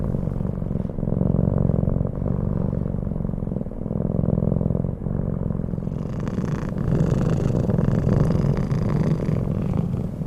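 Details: Keanu, a cat, snores while asleep: continuous deep rumbling breaths, fairly even in loudness, with a faint hiss rising in the second half.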